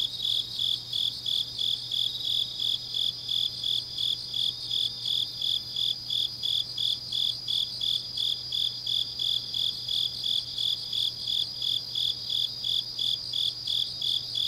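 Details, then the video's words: Grass insects on a late autumn night at Changnyeong, South Gyeongsang province, Korea: regular shrill chirping, about three beats per second, continuing without pause over a sustained high trill and faint background hum. "깊은밤 가을 풀벌레 소리"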